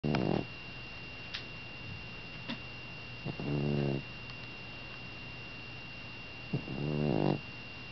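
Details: A cat snoring while asleep indoors: two long raspy, low snore breaths with a harmonic buzz, about three seconds apart, among faint clicks and a steady electrical hum.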